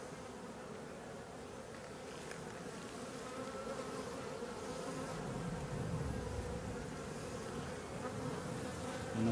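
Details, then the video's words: Honey bees of a drone-laying hive with laying workers, heard while its frames are inspected at the apiary: a steady, low humming buzz of many bees, swelling slightly midway, with faint handling noises. "Ruche bourdonneuse"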